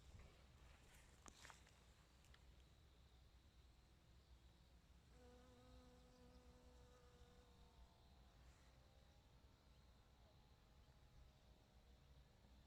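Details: Honey bee collecting nectar and pollen: a steady low hum with clear overtones holds for about three seconds mid-clip, fading afterward, over constant faint hiss with a few soft clicks near the start.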